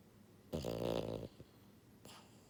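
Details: Buhiko, a pied female French Bulldog born January 2022, asleep indoors: one loud, rattling snore on the in-breath lasting under a second, with a faint breathy puff following in the quiet.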